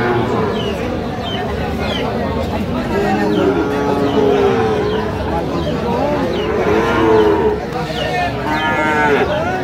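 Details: Sahiwal bull calves at a busy cattle market in Sirajganj, Bangladesh, on 5 August 2025. Drawn-out harmonic lowing rises and falls twice over a steady din of crowd chatter and bargaining voices.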